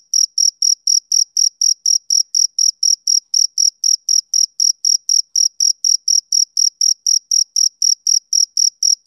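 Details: A male cricket calls on a summer evening with crisp, high, evenly repeated chirps, close to four a second, loud and regular against complete quiet.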